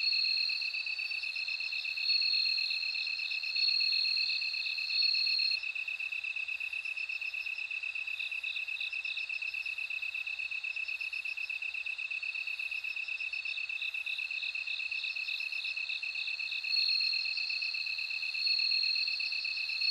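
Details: Bell cricket singing in a steady insect chorus: bright, high tinkling trills and short ringing notes repeated over a continuous lower pulsing buzz, with no other sounds.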